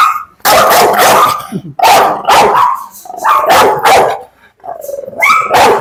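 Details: Dog provoked to bite in a dog challenge, showing aggression. Heavy, rough barks in spaced bursts with growling between them, a rising whine-like tone near the end, and men talking in Malayalam.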